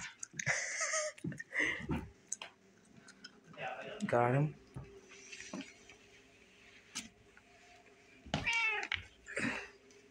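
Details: Old pet cat named Inzaghi, playing with a toy mouse indoors; several drawn-out meows with wavering harmonic rises and falls, mixed with a person talking and soft thumps in a small room.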